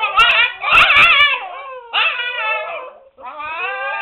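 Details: Siberian Husky puppies, seven weeks old, confined to a puppy pen indoors, making a racket; overlapping high, wavering whines and yelps with rich harmonics, a brief pause, then more drawn-out quavering cries.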